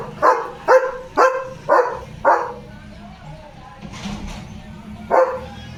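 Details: Pet German Shepherd named Leo barking at home in the evening: five loud, deep barks about every half second, a pause with a faint rustle, then one more bark. Low hum underneath.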